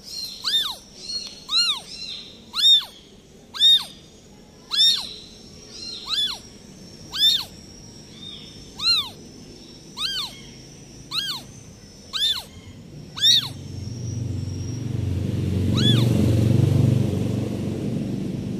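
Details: Newborn kitten abandoned by its mother cat crying: a steady series of about a dozen short, high, arched meows, nearly one per second, followed by a rushing, rumbling noise and one last cry.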